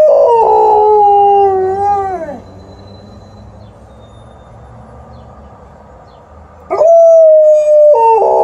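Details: Responding to a passing ambulance, Liza the Alaskan Malamute gives a long wavering howl that sinks and fades after about two seconds; after a quiet pause, another flat sustained howl rises and ends in a broken, wobbling note.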